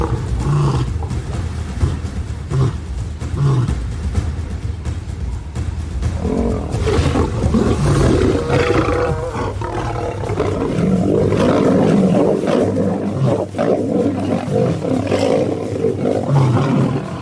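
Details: Pride lions in conflict as a mother turns on her sons: rough, guttural snarls and growling roars throughout, joined after the first few seconds by swelling orchestral music underneath.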